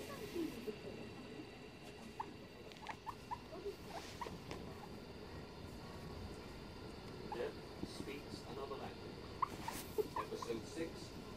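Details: Two pet guinea pigs on a settee in the early hours of 9 November 2021; scattered short squeaks and chirps, some quick pairs, over a steady low background hum.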